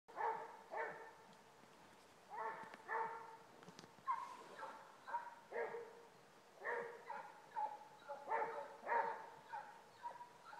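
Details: Two Basset Hounds baying while trailing a rabbit: a run of short, ringing, harmonic bays in quick bursts, often two or three close together, repeated throughout with brief gaps between them.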